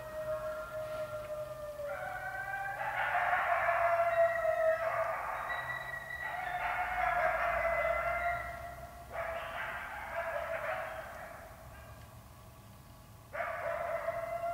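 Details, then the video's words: Chorus of wolves and coyotes about 60 yards away after a deer chase; several overlapping wavering howls rise and fall together, a layered group chorus that fades near 12 seconds before a fresh howl starts. "Wolves & Coyotes"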